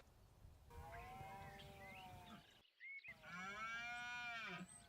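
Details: Two drawn-out, groaning roars from a red deer stag in autumn rut in the Sierra de la Demanda, Burgos, rich in overtones, the second deeper and steadier before trailing off, calling to attract females and intimidate rivals.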